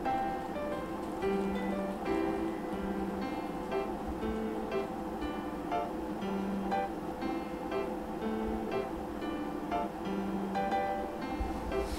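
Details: Steady strummed acoustic guitar music plays throughout, with no animal sound.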